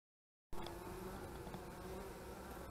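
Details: Honey bees at the hives on 25 March 2015, a dense steady hum with tones near 200 and 400 that starts abruptly after half a second of silence and holds evenly to the end.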